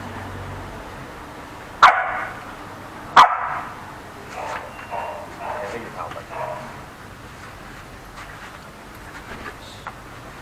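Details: Dogs quarrelling at a home in the Ram Inthra area, a playful 4-5-month-old Samoyed puppy harassing a Corgi: two sharp, loud barks about a second apart, followed by softer, scattered bursts of sound over a quiet background.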